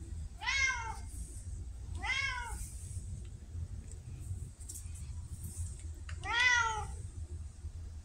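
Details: Indoor female red tabby Pumpkin, October 2023, said to act like a talkative Siamese: three clear, harmonic meows, arching up then down, the last longest, separated by quiet pauses of over a second.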